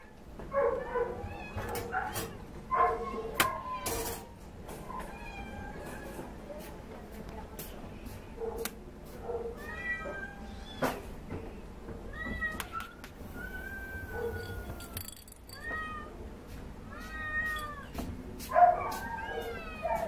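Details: Domestic Shorthair cat up for adoption, meowing repeatedly with rising-and-falling whiny meows, some long and drawn out, between clicks and knocks, with a person speaking in the background.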